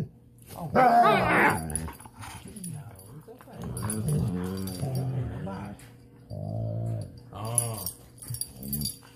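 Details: Dogs growling during playtime (weimaraner, Dutch shepherd and plott hound mentioned): deep, rumbling growls in long wavering stretches, with a brief higher, whiny sound near the start and short pauses between growls.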